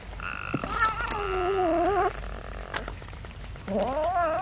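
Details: Kittens being fed rice with fish meow: a long, wavering, nasal meow of about two seconds, a short pause with a sharp click, then a second meow that rises and bends, over a faint steady background hum.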